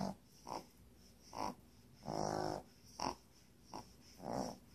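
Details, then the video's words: Sleeping puppy with quick snorting breaths, short puffs alternating with one longer rasping snore, roughly every half second, over a faint constant hiss. "puppy snores"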